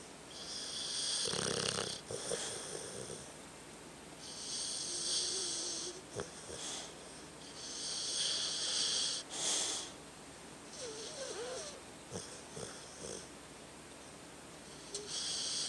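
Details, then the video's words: Tucker, a sleeping dog, snoring: soft breathy hissing snores with a wheezy edge, rising and falling in irregular bursts roughly every two to three seconds, with a few faint squeaky whines between breaths in a quiet room. "Tucker sleeping and snoring"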